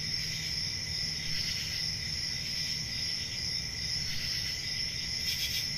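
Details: Crickets keep up an even, ringing high trill with a softer buzzing layer below. A louder, crisp burst arrives just before the end, over a gentle low hum.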